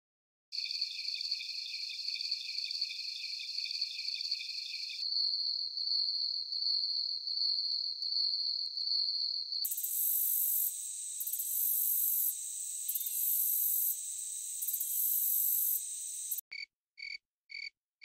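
Crickets trilling in high, steady, shrill tones, with several different callers following one another.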